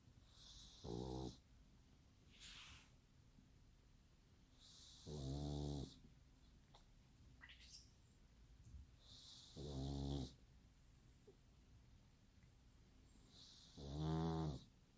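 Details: Pug snoring like a person, four loud rasping snores about every four seconds, each a deep rattling inhale with a hissing breath between, in a quiet indoor setting.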